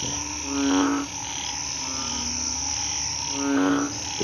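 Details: Night chorus after rain of narrow-mouthed toads and small frogs hiding in grass in a hospital garden; two loud, low, nasal buzzy croaks about three seconds apart rise above fainter droning calls and constant high-pitched insect noise.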